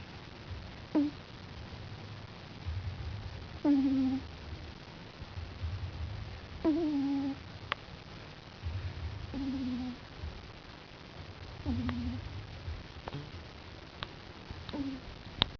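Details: Sleeping on his back, a five-week-old puppy snores steadily, each breath a low rasp with a high squeaky whine at its end, repeating roughly every three seconds, with a few faint clicks.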